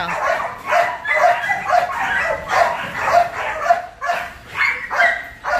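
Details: Barking from the male breeding dogs at the Út Sáu Sài Gòn kennel, where Belgian Malinois are trained: strong, harsh barks roughly twice a second, some doubled, with a man's voice in the background.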